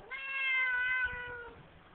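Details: A talkative Siamese cat, relaxing in a bathroom sink, gives a single long, steady meow with rich harmonics that fades at the end.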